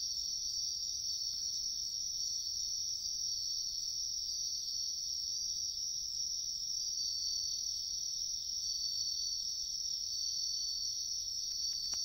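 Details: Unbroken, piercing high trill of wild bell crickets in a riverside wood at a collecting site. The tone holds steady throughout over a soft low background hum.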